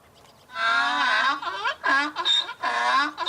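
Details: Donkey braying: long harmonic hee-haw phrases, a drawn-out wavering note followed by several shorter alternating pulses, loud and rasping over a quiet background.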